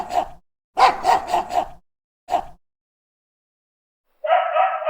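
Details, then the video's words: A dog barking in short irregular bursts: one bark, a quick run of four, a single bark after a gap, then a sustained harsher sound at the end, with silent pauses between. "dog barking sounds"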